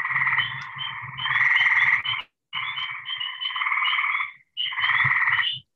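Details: Eastern gray treefrog call played during a talk on Michigan herpetology, described as a little chirpy call often heard in the woods at night; pulsed musical trills, each about one to two seconds long, repeated with brief gaps over a faint low hum.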